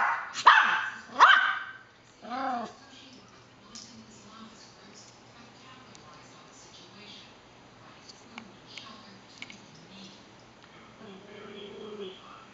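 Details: Yorkshire terrier barking for no clear reason, two loud piercing yaps at the start, then a softer whiny bark, followed by a long quiet stretch with faint low sounds and a brief thin whine near the end.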